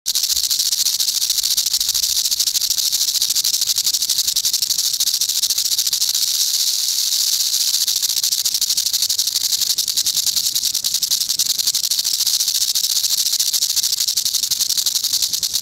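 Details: Eastern diamondback rattlesnake rattling its tail to ward off a potential predator: a continuous, dry, hissing buzz that holds steady and unbroken for the whole stretch, with no other sounds.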